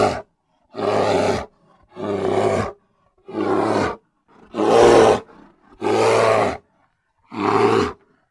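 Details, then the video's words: Grizzly bear producing a steady series of six or seven rough, throaty roars, each under a second long, spaced roughly every second and a quarter in otherwise silent surroundings. "Grizzly Bear Sounds"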